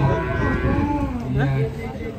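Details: Agitated cattle being unloaded from a large truck give a low, drawn-out moo with a steady deep tone. Voices of people and a background hum are also heard.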